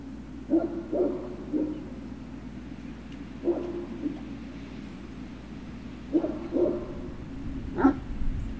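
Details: Great Dane puppy recorded on 03-06-2019 in the afternoon, giving short, scattered barks and yips in loose pairs across several seconds over a steady low hum and background noise.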